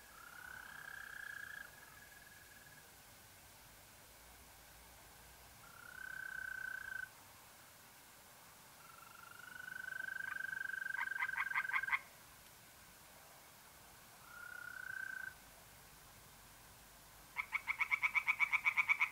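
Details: Tree frogs singing in a pond on an April night in north-east Italy, with short bursts of rapid pulsed croaks near the end. Long, steady, whistled trills of mole crickets come and go between the bursts.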